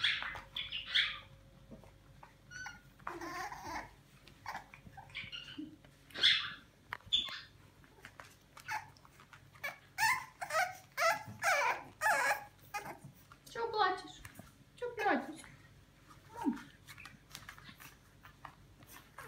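French Bulldog puppies make short, high squeaks and whimpers in quick, irregular bursts.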